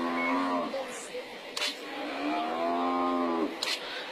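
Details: An African buffalo overpowered by lions, which pull at its injuries, lets out a drawn-out groaning bellow that fades, then a second long, strained moan after a pause; brief knocks and rustling in between.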